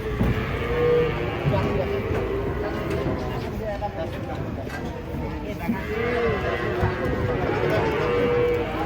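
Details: Large cattle coming down off a truck during unloading let out short, tonal moos near the start and again toward the end, over continuous crowd murmur and a low rumbling background.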